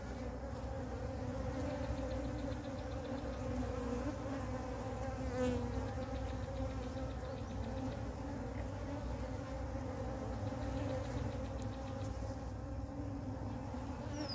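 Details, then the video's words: Huge honey bee swarm found on the ground, calm while a beekeeper moves it into a beehive; a thick, unbroken droning hum of countless bees with faint higher buzzing layers. "A Huge Swarm of Bees Found On The Ground"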